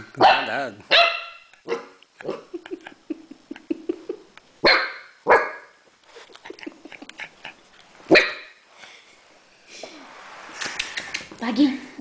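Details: Seven-week-old Great Dane puppy named Bagheera, first day in her new home, lets out scattered high yappy barks and low grumbles over twelve seconds, bursts separated by quiet pauses and soft scuffling.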